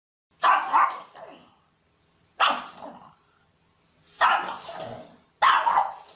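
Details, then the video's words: A pug barks four times at intervals of about two seconds, each bark a sharp, gruff double burst followed by a short raspy fade, against a quiet background. "som de pug latindo - sounds pug barking"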